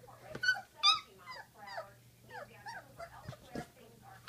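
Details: Great Dane puppies, 16 days old, whimpering and squeaking: several overlapping high, wavering yelps and whines in quick irregular succession, some bending down in pitch, with a steady low hum underneath.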